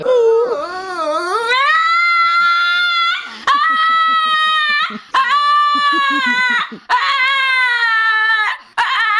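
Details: A dog gives long, sustained, slightly wavering howls, each lasting one to three seconds with brief breaks between them. Faint lower grunting sounds run underneath some of the howls.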